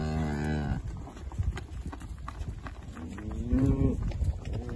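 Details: Holstein Friesian milking cows in the UK, part of a spring and summer calved herd on a grazing system. One low moo opens the recording and lasts under a second; a second bellow rises and falls near the end, over steady background rumble and a faint high whine.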